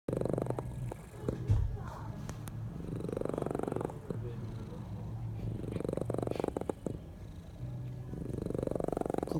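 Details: Sleeping domestic cat snoring; slow, breathy rasping swells rise and fall roughly every two to three seconds, low and rough, with a faint steady hum underneath.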